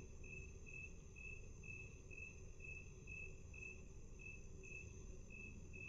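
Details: Cricket chirping, played back at half speed: a steady series of short, high, even pulses repeated roughly twice a second, about thirteen in a row, over a low constant background hum.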